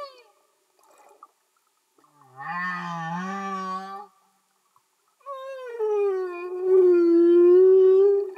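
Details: Humpback whale song heard underwater: a low, wavering groan with dense overtones lasting about two seconds, a pause, then a longer mid-pitched tonal wail that dips and swells in loudness.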